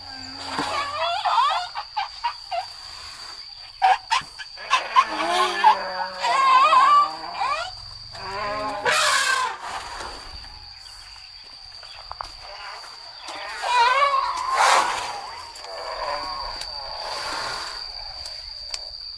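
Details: Namthip, a female elephant at Elephant Nature Park, sings while playing in the mud pool after her daily river play, drawing nearby elephants toward her. She gives wavering, squeaky, harmonic calls in repeated bursts, with splashy noise bursts and a steady high electronic whine.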